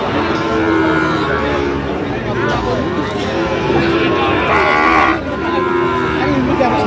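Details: Low, rounded lowing from Sahiwal bull calves at a busy Kishoreganj cattle market in Bangladesh, 10 October 2025, half-buried under constant chatter from buyers and sellers nearby.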